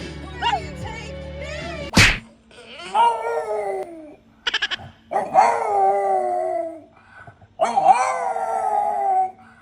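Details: A French bulldog, apparently just woken up, howls in drawn-out, quavering notes that climb then slide down, repeated every couple of seconds, after a sharp knock and a brief human voice.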